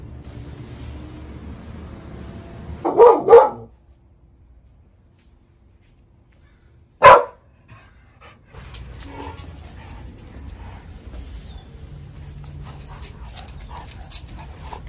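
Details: Dog barking during a day in the life with a Cane Corso and a Belgian Malinois, with dog training: two quick, deep barks close together, a quiet pause, then one sharp, short burst, followed by rustling and handling noises.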